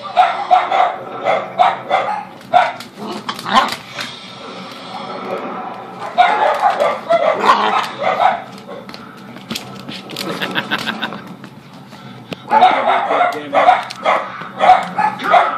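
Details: A basenji playing with a dachshund, two dogs together: bursts of sharp, harmonic yelping barks and growly yips in quick runs, pausing around four and twelve seconds, then resuming in a rapid excited series.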